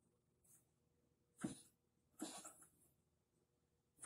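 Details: Shiba Inu with lymphoma spread to the lungs, breathing with difficulty and coughing nonstop from early morning, coughing up blood; harsh, breathy coughs in short bursts about once a second, with noisy wheezing breaths between.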